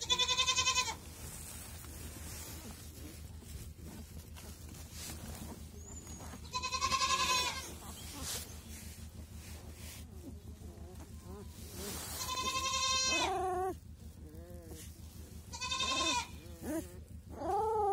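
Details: Week-old Kangal puppies, males among them, giving loud, high, harmonic whining cries in short bursts of about one second, repeated at intervals of roughly five seconds, with quieter shuffling and low background hum between the cries.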